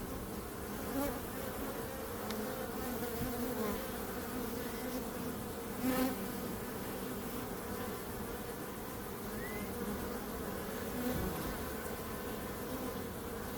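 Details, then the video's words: Bees droning in a steady collective buzz, low humming tone with a higher harmonic, punctuated by a few short louder passes near six and eleven seconds. "Bees Sound"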